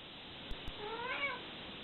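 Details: Domestic cat mother with her kittens, licking and hugging them while they try to escape; one short rising-then-falling meow after two soft taps, over a constant background hiss.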